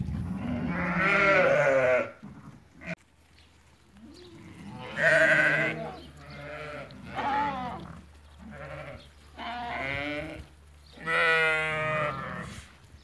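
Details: Eighty ewes that have lambed, for sale at Fquih Ben Salah, calling repeatedly: about six strong, shaky bleats with pauses between them, the last a long vibrato cry, over a faint steady hum.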